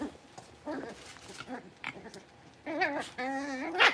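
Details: Young Blenheim Cavalier King Charles Spaniel puppies from a litter of five, newly moved to a larger pen, give soft murmurs and then drawn-out wavering whines that rise and fall over the final seconds.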